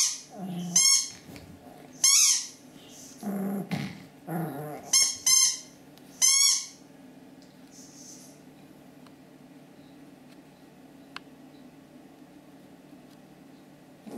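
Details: Kuzya, a seven-and-a-half-month-old Pomeranian, and Steshya: a run of sharp, high, squeaky yelps and yaps with a few lower grumbling sounds in the first six seconds, then only quiet indoor hum.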